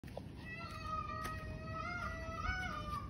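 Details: Stray cat wailing in the evening at a roadside, with a second, black cat nearby; a long, drawn-out tonal yowl lasting about three seconds, wavering slightly in pitch and swelling near the end, over a low background rumble.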